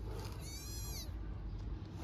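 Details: A single high, piercing meow from a hungry stray kitten calling for its mother in Istanbul, Turkey, sliding gently downward, over steady low background hum.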